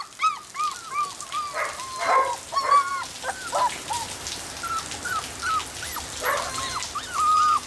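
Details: Border Collie puppies from a litter born 25 September 2013, black-and-white and blue merle, utter bent, whistled whimpers in scattered runs, mixed with soft rustling and shuffling noises.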